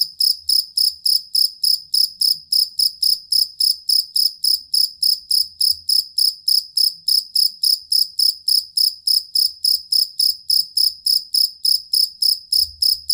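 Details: Jangkrik kalung or fighting cricket, kept as a tutor for competition songbirds and said to drive off rats: steady, high, ringing chirps repeated about three to four times a second, each a short metallic trill, unbroken throughout.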